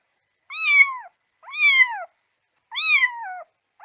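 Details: A kitten gives three high, thin meows, each rising briefly then sliding down, about once a second, a sound used to summon cats.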